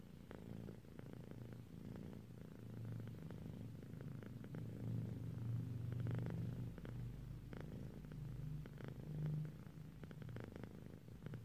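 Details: Drowsy pet cat, a female, purring as she dozes, a deep even rumble sustained throughout, rising slightly louder midway, with a few soft clicks in the background.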